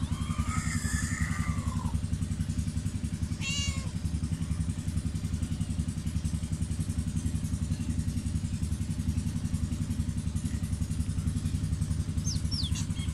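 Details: Crying cat giving two drawn-out, wavering meows early on, then a short sharp mew, all over a constant low rumble of an idling engine, with a few faint high chirps near the end.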